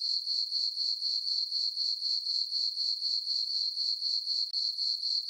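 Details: On a calm summer night in a farm meadow beneath the full moon, crickets keep up a piercing, evenly pulsed chirp near four beats per second, with one brief dip near the end.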